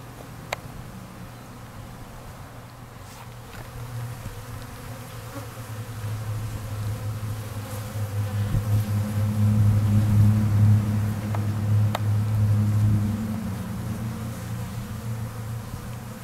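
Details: Many honey bees at an open feeder, some fighting, make a steady, low droning hum that swells louder in the middle, in spring while nights are still cold.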